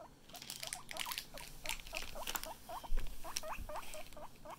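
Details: Chip, a pet guinea pig feeling better, gives a quick run of short, low, hooked squeaks, several per second, over scratchy rustling and pattering from moving about.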